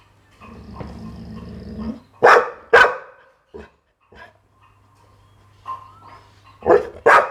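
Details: Pit Bull barking: two loud, sharp barks close together, a pause with low rumbling background noise, then another quick pair of barks at the end.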